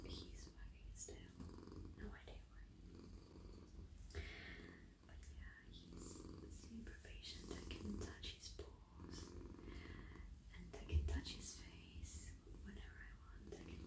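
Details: Domestic cat, male, purring at night while lying in a lap and being stroked on head, neck and body; a steady, low, pulsing rumble runs throughout, with soft whispering and stroking rustles over it.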